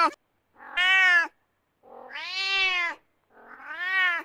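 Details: Kitten crying: three rich, nasal meows about half a second to a second long, each arching slightly in pitch, separated by silence in a quiet room.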